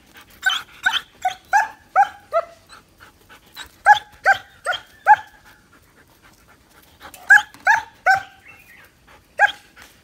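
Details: A nine-month-old male German Shepherd barks in quick bursts of sharp, repeated woofs with brief pauses between.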